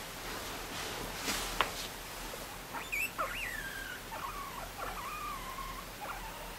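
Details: A guinea pig being stroked as it falls asleep gives soft, wavering squeaks that rise and dip, following some rustling.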